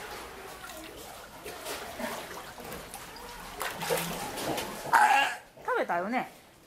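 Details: A young, still-unweaned male sea lion, 1 year 4 months old, at an aquarium gives a few wavering, bleating calls that rise and fall near the end, after splashing water and murmuring voices.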